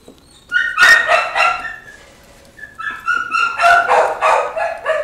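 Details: Puppies yipping and whining in a high, harmonic-rich chorus of short cries, in two loud bursts around a brief quiet spell, calls tumbling quickly one after another.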